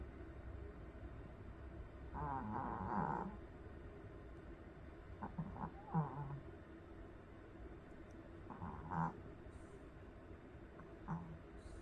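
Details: A Pomeranian dog snoring while asleep in Korea: uneven rasping snores roughly every three seconds, some longer and rougher, others short snorts, quiet against a steady background hiss.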